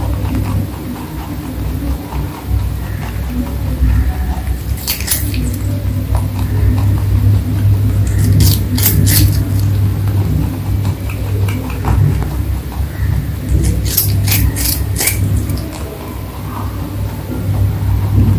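A rabbit crunches food in short bursts of sharp, dry chewing over a steady low hum.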